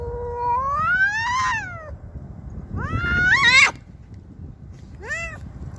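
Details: A domestic cat called Cassey, furious at a neighbouring cat intruding on her territory, makes rising, strained caterwauls, a long climbing wail, then a sharper upward screech, then a brief rising cry.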